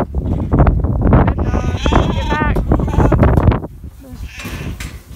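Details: Sheep being sorted and moved by a working sheepdog. A few wavering, tremulous bleats rise near the middle, heavily masked by loud, dense thumping and rustling from movement. The sound quietens sharply toward the end.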